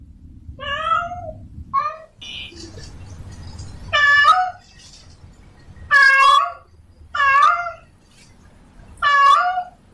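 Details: Domestic cat, a female in heat, calling a male to mate: short, bright meows, some rising then dipping, repeated every one to two seconds, with a brief rustle and quiet hum between calls.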